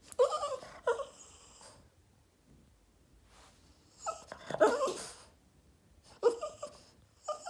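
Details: Indoor Boston Terrier Yoda in an attention-seeking tantrum: three clusters of breathy, whimpering moans with grumbling undertones, separated by quiet pauses of about two seconds, in a small room.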